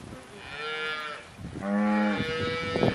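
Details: Cows recorded in October 2023; a short moo, then a louder, deeper, harmonic-rich moo held for about a second.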